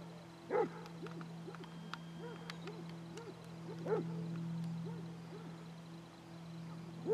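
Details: Basset Hounds on a group walk of 22 dogs at Belwade Farm near Aboyne, Scotland, 2 October 2016; soft, distant arched bays repeat every second or so over a steady low hum.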